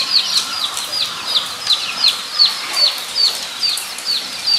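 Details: Nogeyama Zoo guinea pigs, recorded 23 September 2012: clear, high-pitched squealing whistles, each dropping in pitch, repeated about every third of a second in a steady series over quiet background hiss.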